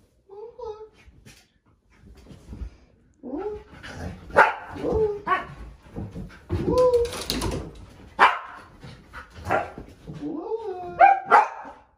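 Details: Lola, a female Siberian Husky nearly two years old, growls and talks indoors, worried as her owner hides under the bed covers. Bursts of moaning, rising-and-falling whines and growly yowls come between human speech and laughter.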